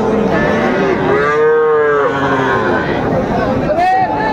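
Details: At Raniganj cattle market, Dinajpur, 12 July 2024, a Friesian or crossbreed heifer calf lets out one sustained, level moo of about a second, followed by a short upward-sliding call, against background crowd murmur.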